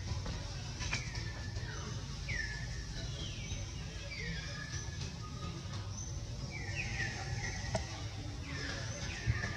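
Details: Baby monkey Jody cries as mother Jane comes near to rescue him: thin, descending wails come in loose clusters across the stretch, with a constant low background hum and occasional clicks.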